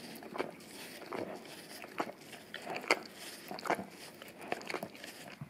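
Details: Indoors, an English cream golden retriever male licks a peanut-butter Orapup brush taped down on tile; distinct wet slurps land roughly every second, each a short crackling smack over a faint room hush.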